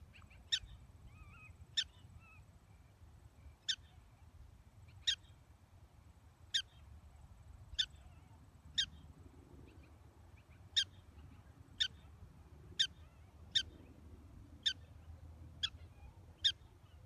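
A black-tailed prairie dog gives sharp, high chirps, repeated about every one to two seconds.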